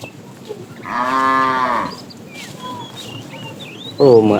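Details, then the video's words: Calves among a herd of cattle driven in the morning while searching for food: one clear, even moo lasting about a second, then a sharper rising bawl at the end, with bird chirps in between. "Herd of cows wandering around looking for food,Cute sounds of calves"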